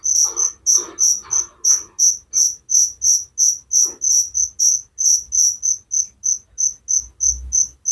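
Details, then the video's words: Crickets chirping for relaxation and sleep, a regular train of high, ringing pulses about three per second; lower scratchy pulses at the start fade away, leaving the clean chirping. "Suara Jangkrik penghantar tidur || Relaxing sound of crickers"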